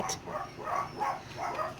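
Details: Six-week-old Dachshund puppies, almost weaned and playing hard in a larger pen, give whiny yelps as one pup harasses another. About four short nasal cries come in under two seconds, evenly spaced, over faint room noise.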